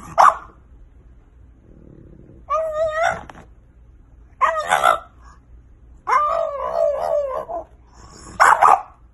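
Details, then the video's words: French bulldog puppies, a playful compilation: a series of short yelping barks and whiny vocal bursts in separate groups, some drawn out and wavering, with quiet pauses between. "Funny and cute french bulldog puppies"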